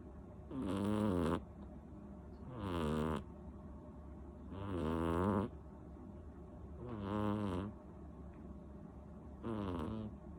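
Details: Loud snoring from a sleeping seven-month-old female cat called Rinchan: five rhythmic, harsh snores about every two seconds, each a rough buzzing breath that rises and cuts off, separated by near silence.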